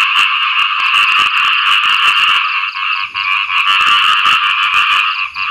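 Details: After rainfall, frogs call for mates in a loud, unbroken chorus of fast, grating croaks that overlap into a constant trilling drone, with brief dips in intensity.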